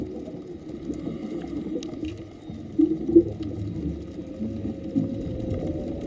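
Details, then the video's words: Whale song recorded underwater on a dive off Maui, where only males sing and it carries better in deep water: thin sustained rising whistled tone in the second half, under regulator bubbling and clicks. "and you guys could hear the whale singing like the whole time oh they're so beautiful"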